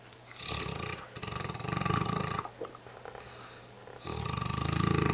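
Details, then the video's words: Tired mastiff dog snoring loudly indoors: long, rough, rattling breaths in broad bursts lasting about two seconds each, separated by short quiet pauses. "the mastiff snoring up a storm"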